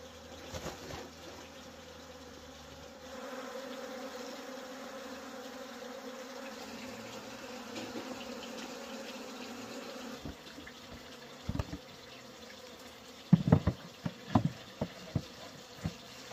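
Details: Humming of wild honey bees while wild honey is gathered: a low, even drone rises after a few seconds and holds steadily, then fades into a series of sharp knocks and clatters near the end.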